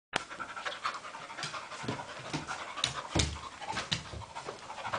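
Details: Two pet dogs playing together, play-fighting: quick breathy panting and huffing in rapid bursts, with scuffling thumps and sharp rustles from their tussle throughout.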